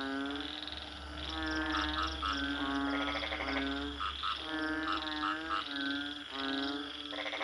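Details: Frogs croaking in nasal, bleating bursts, short calls alternating with longer drawn-out ones, over a faint low background hum.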